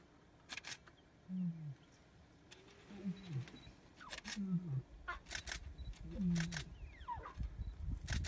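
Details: Lions exchange soft, low, descending moaning contact calls between a mother and her cubs.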